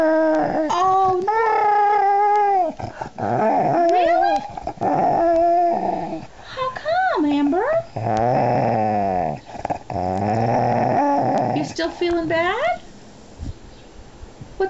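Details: Angry female pet dog Amber in a 'talking' outburst: repeated wavering, howl-like whines that swoop up and down in pitch, separated by brief pauses, with a person questioning her between phrases.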